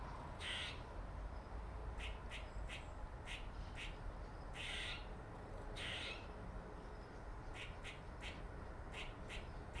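A squirrel gives short, raspy chucks and barks in irregular bursts over a low rumble.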